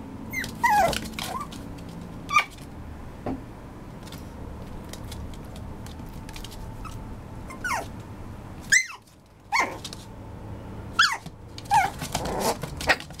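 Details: Maltipoo, a Maltese and toy poodle mix, giving a series of high, thin whines and short sliding yelps, some rising then falling, scattered irregularly over low indoor hum with brief quiet gaps.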